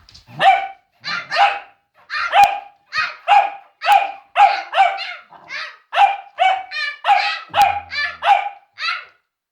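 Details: Cavalier King Charles Spaniel, described as scared and barking at silliness, gives a steady run of sharp, bright barks, mostly paired, roughly every half second to second, with a person's voice just before.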